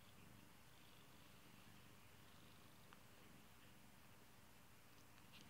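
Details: A steady, low purr from a beloved house kitty, a soft rolling rumble with an even beat, plus a few faint light ticks near the end.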